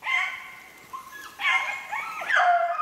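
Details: Drawn-out, wavering howls from a beagle on a snowshoe hare hunt, 3/8/16, in three long tonal bursts with a quiet gap between the first two.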